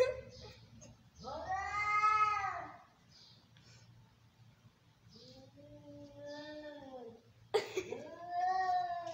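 Angry domestic cats caterwauling, long drawn-out wavering yowls rising and falling during a fight.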